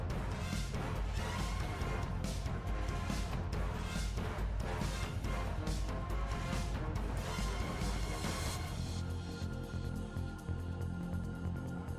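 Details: Loud theme music with heavy bass and percussive hits fills the whole stretch, with no animal voice standing out.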